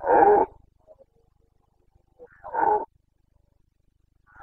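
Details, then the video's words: Carpathian red deer stag in the Bucovina mountains, Romania, roaring during the autumn rut on 29 September 2022; two hoarse, harmonic bursts about half a second long, spaced roughly two and a half seconds apart, with quiet between. "Boncănit / Carpathian stag Breeding season"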